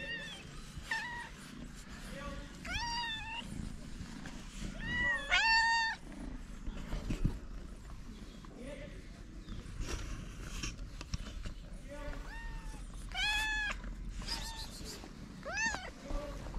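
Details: Several hungry stray cats climb on a person while meowing loudly and insistently, the meows arching up and down in pitch and repeated every second or two, with overlapping calls, low rumbling background noise and brief human movement.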